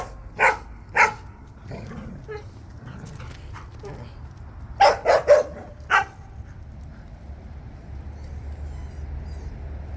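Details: Jindo dogs out on a walk, giving sharp barks: two spaced barks, then a quick burst of three and one more, over a steady low outdoor rumble.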